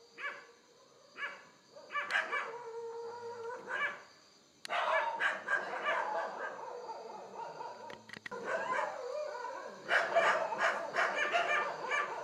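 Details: Indian wild boar recorded in low light using a Canon Handycam; scattered squealing calls at first, then a loud, rough, continuous chorus of overlapping grunts and squeals, broken by a short clatter.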